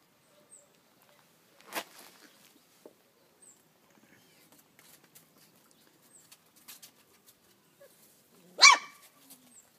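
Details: Dobermann puppies from a litter born 18 April 2012 to Kate and Zeus, filmed 17 May 2012 in Cambuquira, southern Minas Gerais, Brazil; two short, sharp, high yaps about seven seconds apart amid near silence.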